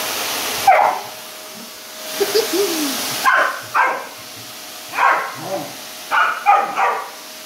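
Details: A pit bull barks at a vacuum cleaner, giving short, harsh barks in uneven bursts with a faint mechanical hum behind.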